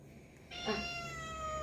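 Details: Domestic cat giving a single drawn-out meow, a clear tonal cry with many stacked overtones that slides slightly downward and holds for about a second. The room is otherwise quiet.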